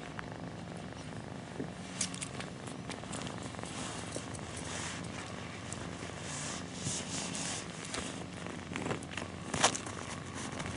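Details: Purring mother cat nursing kittens before they fall asleep: a soft, continuous low rumble with frequent faint clicks, crackles and rustling movements, one sharper tap near the end.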